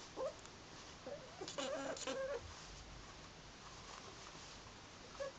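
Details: Two pet ferrets, Bodger and Badger, playing indoors: short tonal squeaky notes, with a dense burst of scuffling and clucking chatter in the middle, then quieter rustling and a final squeak.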